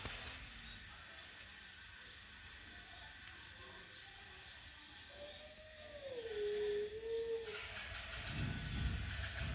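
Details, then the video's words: Mother cat and kitten in an angry standoff: after several quiet seconds, one long wavering moan slides down and levels off for about two seconds, then a burst of rustling noise follows. "mother cat and kitten in agry sitiation"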